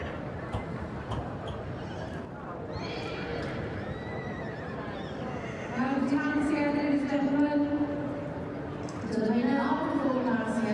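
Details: Welsh Cob fillies at a show: hoof clip-clops early on, then long wavering, tremulous neighs from about six seconds and again near nine to ten seconds, over crowd murmur and loudspeaker noise.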